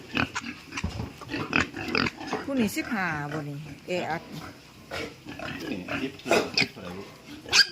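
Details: During a move of piglets to fattening pens, a young pig lets out a drawn, many-layered squeal that slides downward midway, amid clattering pen noise, scattered grunts and overlapping human speech.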